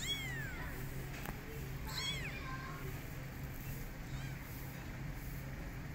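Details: Domestic cat scene: Goldie babysitting three kittens left without their mother. Squeaky, arching mews rise then fall, one at the start and a quick double call after two seconds, over a constant low hum and faint tapping.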